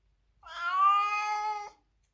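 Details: A domestic cat, crying loudly at home on seeing its carrier before a trip to the vet for annual vaccination, gives one drawn-out, plaintive meow lasting over a second, rising slightly then holding steady before cutting off.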